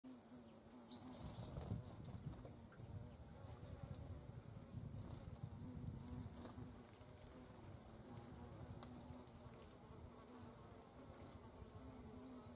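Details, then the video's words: Hornets at the nest in autumn, during the 'annihilation of autumn brood' when young queens and drones have hatched and larvae are removed from the comb; a steady low droning buzz with layered overtones, plus scattered faint clicks and rustling. "Hornet - annihilation of autum brood. Hornissen - Vernichtung der Herbstbrut"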